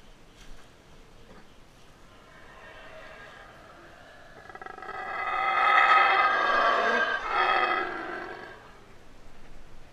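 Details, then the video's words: Yucatan black howler monkey in rehabilitation, later released to the wild, howling up close at feeding time: a quiet start builds into a loud, rasping, harmonic roar lasting about four seconds before fading. "Yucatan Black Howler Monkey"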